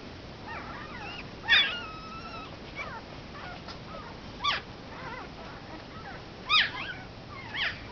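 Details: One-week-old Komondor puppies whimper: a few high, thin squeals and whines, some holding a steady pitch and others sliding, with sharper yelps near the second and sixth seconds over a quiet, hissy background.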